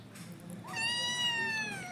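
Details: A hungry kitten waiting for breakfast gives one long, drawn-out meow that jumps up and then slowly falls, clear harmonics, faint background hum.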